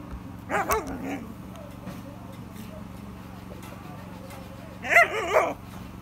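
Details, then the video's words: Dog barking while playing with a stick: two short bursts of harmonic barks and yips, the first near half a second in, the second around five seconds, over a steady low hum with faint speech. "Dog barking while playing."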